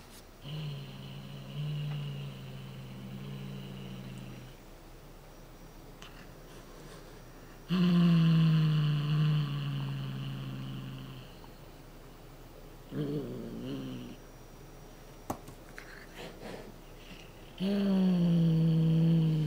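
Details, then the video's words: Somali cat named Chouchou growling a low, drawn-out "uuu" to threaten and keep hold of a cat-teaser toy indoors; several sustained rumbling growls of a few seconds each, separated by pauses, with small handling noises between. "うーっと唸る猫 ２ 【ソマリ】"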